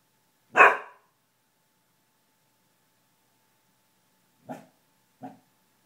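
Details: Pet dog indoors barking at someone heard passing in the hall: a single loud bark, a long silence of nearly four seconds, then two short, softer barks less than a second apart.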